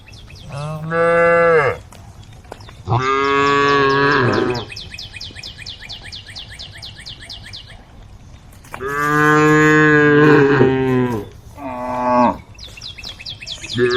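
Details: Tame female cows in a group calling the herd: deep, drawn-out moos lasting one to two seconds, several in sequence with pauses, and one short final bellow, while a small bird chirps repeatedly in the background.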